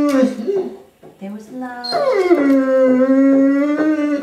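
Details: A 10-year-old female Curly-Coated Retriever sings along to "Till There Was You" in her nightly routine, a long, tuneful howl that slides down then holds a steady wavering note.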